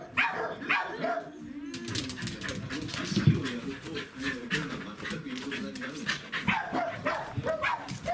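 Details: A Welsh Corgi, overjoyed at meeting his breeder, whines and yelps excitedly in greeting, with people talking nearby. Recorded 31 January 2017.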